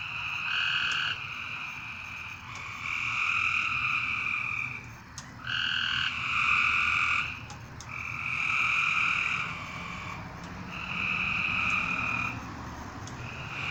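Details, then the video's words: Several frogs at night trade steady, harsh, trilled calls lasting one to two seconds, each answered almost at once, forming a nearly continuous pulsing chorus with occasional faint clicks. "A Strange Night Sound? And Frogs!"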